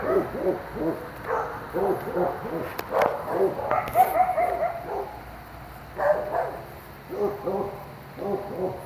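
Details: Coyotes yowling at night near a driveway: a chorus of short, rapid, wavering yips and barks, with a brief high drawn-out wail in the middle, then more scattered yipping bursts.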